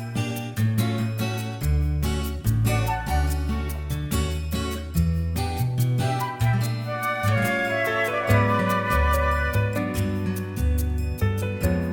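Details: Gentle instrumental music with flute-like melody, guitar and steady bass notes, with no animal sound.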